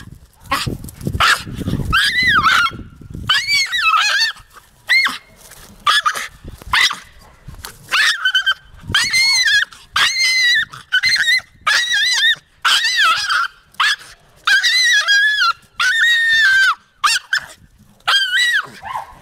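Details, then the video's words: A Jagdterrier called Taka keeps up a long run of excited whimpers and yelps, short arched notes repeated roughly once a second. Some rumbling handling noise comes at the start. "Taka a jagdterrier"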